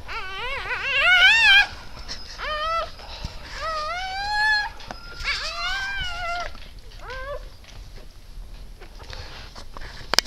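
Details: Siberian Husky birth of eight puppies, 12 December 2015 around 20:30, in a small room. Quick trilled yelps open, followed by several rising, sliding whines that grow sparser and softer; rustling and a sharp click near the end.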